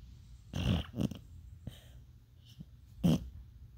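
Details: Dreaming beagle in its sleep, making several short snorting, huffing bursts with low growly breaths, spaced irregularly across a few seconds in a quiet room.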